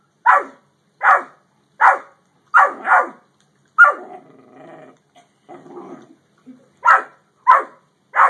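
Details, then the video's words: Dogs from a Great Dane and yellow Labrador encounter bark in loud, sharp bursts, about ten barks spaced irregularly under a second apart, with a softer stretch of low growling and grumbling in the middle. "Great Dane vs Yellow Lab"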